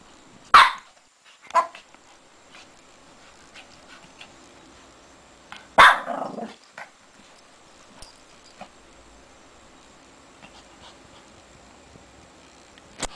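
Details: Shih Tzu puppy digging in a bed, letting out two short barks early on and a louder bark trailing into a low growl midway, with long quiet stretches of faint rustling between.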